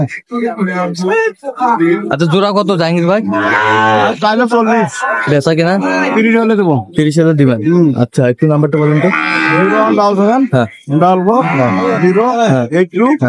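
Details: At Ambari market in Dinajpur, Bangladesh, on 9 June 2025, where Sahiwal bull calves are being bought and sold, deep repeated moos rise and fall amid constant overlapping male voices haggling over prices.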